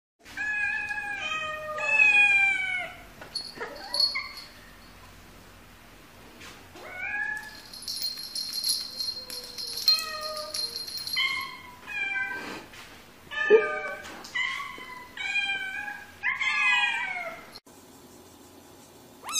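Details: A cat, described as cute, meows repeatedly in drawn-out, harmonic cries that rise and fall, with short gaps between calls and a brief high ringing tone partway through.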